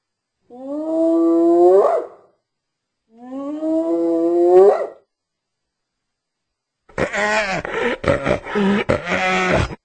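A hyena gives two long, moaning calls that rise at the end, then a rough burst of chattering noises.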